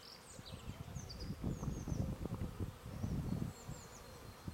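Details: Honey bees from two hives, 'violette vague' and 'anis triskell', on their first big flight out after their first winter, 10 March 2018, bringing in orange, yellow and white pollen: a low, humming buzz that swells and fades, with bird chirps above.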